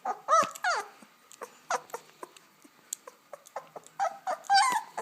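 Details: Two-week-old German Shepherd puppy from a litter of ten born August 18th, 2012 in Chestermere, Alberta, giving sharp, high, rising-falling squeals and whimpers in short bursts, with small bumps and handling noises between them.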